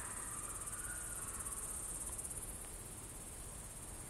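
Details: Evening cricket chorus at Kolga, Estonia, 6 September 2018, 20:26, a constant piercing high-pitched trill; in the first two seconds a faint lower, slightly wavering whistle-like tone drifts under it, then fades.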